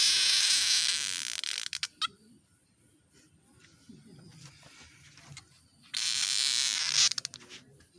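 A frog gives a harsh, buzzing rasp in two long, loud bursts separated by a quieter pause.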